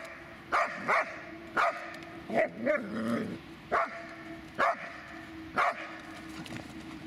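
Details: Dobermann Magmar von der Burgstätte barking in single short, sharp woofs roughly every second, with a brief grumbling sound in the middle.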